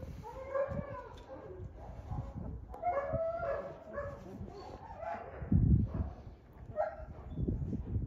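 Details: Three-week-old European German Shepherd puppies at a kennel; overlapping squeaky whines and short yelps from several pups, with low thumps and rustling.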